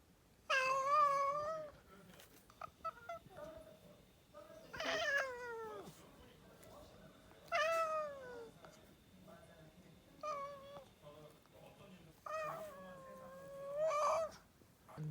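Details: Domestic cat choking after a coughing fit, giving five drawn-out, wavering meows spaced two to three seconds apart, several opening with a harsh breathy burst, against a quiet background.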